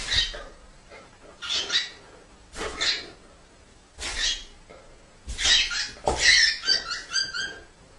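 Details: Great Dane, a giant dog breed, giving a series of breathy, broadband vocal bursts about every second and a half. The sounds then quicken into closely spaced, tonal yelping notes near the end.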